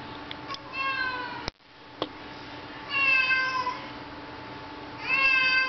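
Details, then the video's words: Indoor cat Mooch meows persistently to go outside though it is raining; short faint mews at first, a click, then two long, wavering harmonic meows near the end over a constant background hum. "Cat wont stop meowing!"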